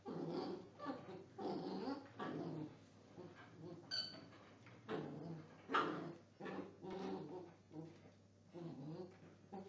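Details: Belgian Tervuren in gun training, producing a dense run of rough growling and whining vocalizations that come in uneven pulses, with occasional sharper high-pitched squeaks and a low steady hum underneath.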